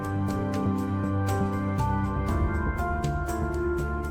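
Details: Steady ambient keyboard music with sustained tones and a soft regular pulse, with no animal sound.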